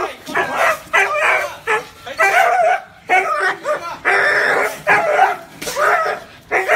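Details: Dog barking insistently, about nine harsh, full barks in quick succession, some running together into longer rough bursts.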